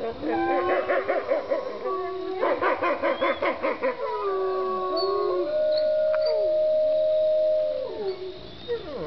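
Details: Several gray wolves at Bays Mountain Park in Kingsport, Tennessee howl together, quavering yipping notes giving way to long steady howls, with brief human laughter.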